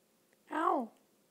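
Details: Small Chihuahua mix puppy, female, playfully biting fingers and clothes indoors, gives one short high whine that rises then falls, under half a second long, with quiet room tone around it.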